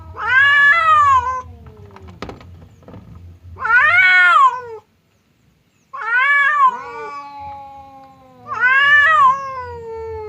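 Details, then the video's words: Fierce cat Temon meets quiet cat Lelo, a divider keeping them from fighting; four separate rising-and-falling yowls spaced a few seconds apart, one lower drawn-out growl-like moan between them, and a brief click. "SUARA KUCING BERANTEM | cat fight sound effect"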